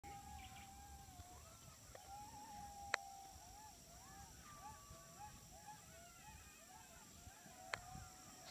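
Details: Coyotes in South Texas howl together in a wavering chorus of rising and falling tones, with a steady high insect-like drone.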